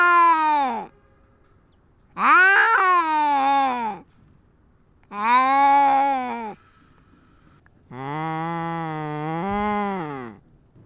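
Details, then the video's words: Fighting cat defending its territory: four separate drawn-out yowls at intervals of about two seconds, the last one lower, steadier and longer, ending with a slight upward bend. "Cat with GoPro fights and asserts dominance"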